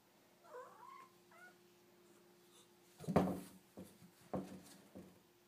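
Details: Indoor domestic cat impatient for dinner gives two brief, soft meows early on, followed by louder thumps and rustling handling noises against a low background hum.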